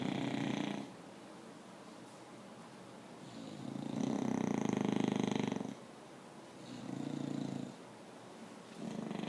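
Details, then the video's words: English Bulldog knocked out asleep indoors, snoring loudly: rough rasping breaths in long bursts of about one to two seconds, a long loud snore in the middle, with quieter pauses between, in a small room. "knocked out snoring. English Bulldog"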